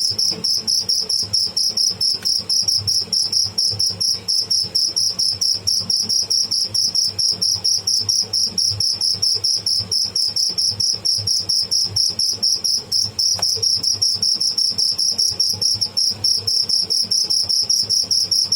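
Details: A live cricket (tidda) keeps up a long, fast, almost continuous high trill of tightly packed chirps, with one brief click partway through.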